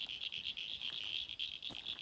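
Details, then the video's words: Frog chorus of rapid, pulsing high trills merging into a continuous shrill drone, heard at night while searching for reptiles in Australia, with roads still around 30 degrees; frog. "You can hear the frogs."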